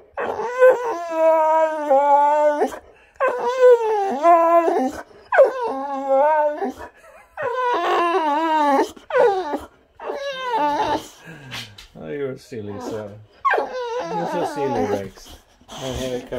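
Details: An excited Boxer dog, eager to go outside and play with a ball, gives long, drawn-out whines and howl-like 'talking' in repeated wavering bursts with short pauses. A man talks between the bursts.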